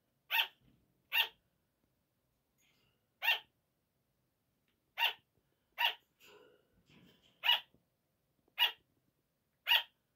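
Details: Sugar gliders barking at night, a 5 a.m. wake-up call: short, sharp, bright yaps at irregular intervals, about eight in ten seconds, with faint rustling and scratching between them.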